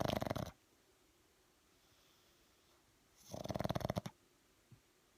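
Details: A lazy pug sleeping with one eye open, snoring: two short bursts of rough, rattling, pulsed breathing about three seconds apart, each under a second long, quiet room between.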